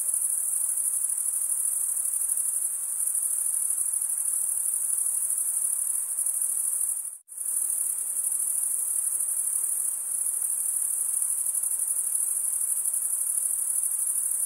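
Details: Crickets chirping: a dense, steady, very high-pitched shimmering trill that runs without pause, broken only by a brief silent dropout near the middle before resuming unchanged.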